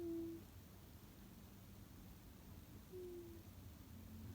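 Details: Sleeping cat Tsukkun gives two short whistling snore tones, flat and slightly dropping, about three seconds apart, against a constant low room rumble.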